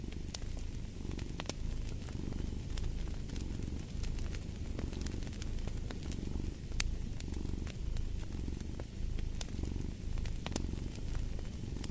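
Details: Close, rumbling purr of a cat, pulsing in soft swells about once a second, with scattered sharp pops and crackles of burning wood nearby.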